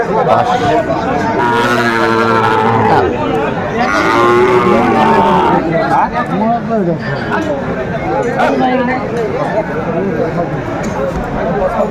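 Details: Sahiwal breed bull calves at a Dhaka cattle market, 26 December 2024: two drawn-out, bending moos early on, then busy human chatter and bargaining over prices through the rest.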